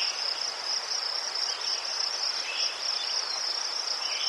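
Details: Crickets in Ukraine giving a steady high chirping chorus, dense rapid pulses in a continuous band, with faint fainter chirps from other insects beneath.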